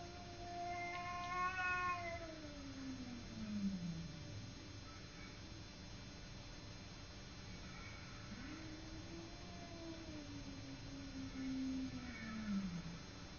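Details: Simba the cat squaring off against a neighbour cat: two long, wavering yowls, each starting higher and sagging into a low growling moan, with a quiet pause between them and a faint steady hum.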